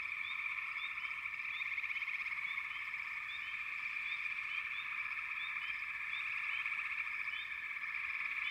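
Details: Steady, shimmering frog chorus at moderate volume, dotted throughout with short, high, upward-flicking chirps repeated every half second or so over the continuous trilling background.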